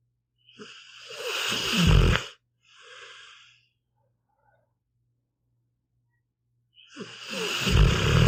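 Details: A sleeping pit bull snores in long, rasping breaths, each one building to a deep rumble.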